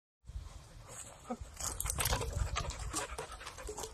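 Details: Eleven-month-old male Australian Shepherd pup panting: rapid, breathy, uneven huffs with a rough low rumble, growing louder after the first second and continuing steadily to the end.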